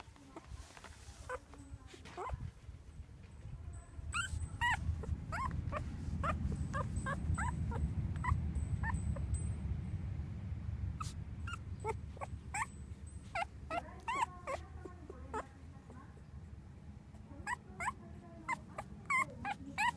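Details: Newborn English Cocker Spaniel (field type) puppies, a litter of four males, give high, thin whimpers and squeaks in short irregular bursts, with rustling and low background rumble.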